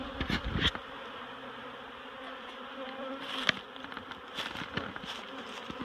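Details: Honeybees during relocation from a barrel to a new hive at Miss Bee Haven, a softer, airy colony hum with brighter buzzing passes of individual bees and a few scraping, knocking sounds.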